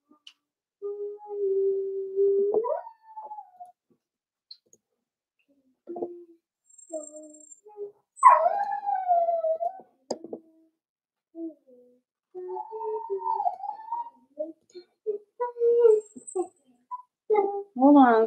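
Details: Four-week-old Cavalier King Charles Spaniel puppies in a home puppy pen give a series of thin, tonal whimpers, some held flat and some sliding upward or bending down, broken by short gaps and a few soft clicks and knocks.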